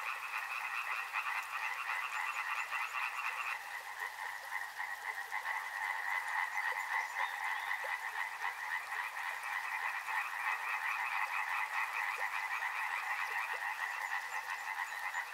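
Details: Riverside frogs in full chorus, overlapping rattling croaks forming a constant drone; one higher caller drops out after a few seconds while the rest keep up a rapid, uneven pulse.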